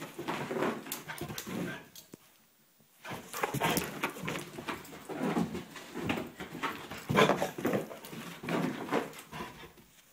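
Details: Male vizsla indoors, worked up after an 8 km run that was not long enough for him, whimpering and whining almost without pause, with breathy panting-like sounds and one brief lull.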